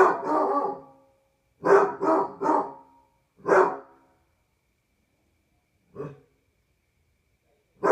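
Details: At night on a patio, Barney the Basset Hound lets out a long baying howl, then three quick deep barks in a row, another single bay, and a softer bark after a pause.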